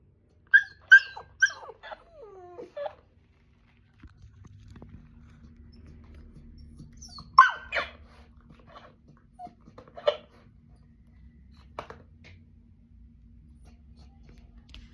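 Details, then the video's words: Siberian Husky vocalizing indoors while interacting with a duck: a run of high, wavering yelps and whines early on, then more short whimpering bursts separated by pauses, over a low steady background hum. "husky dog talking to duck"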